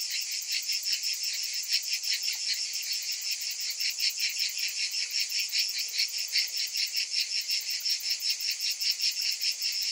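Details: Many cicadas in summer keep up a steady, shrill electric-sounding drone, pulsing rapidly and evenly, with no other animals or noises.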